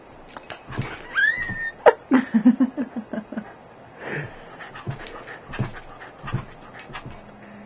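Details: Pet dog jumping up to see who is on the bed, giving a high rising whine followed by short low yips and panting huffs, with thumps of jumping and a person's voice in the room.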